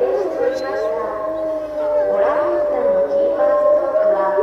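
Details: Grey wolves howling while lying down at Tama Zoo, Japan, filmed March 2016; several overlapping, steady, mid-pitched howls with a rich harmonic tone, one voice holding a long level note while others waver and slide around it.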